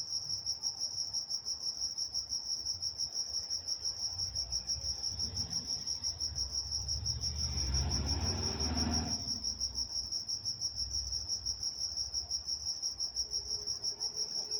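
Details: Night crickets in Walnut, California keep up a continuous high pulsed chirp, roughly three pulses per second, while a broad low rumble, like a passing vehicle, rises and fades around the middle.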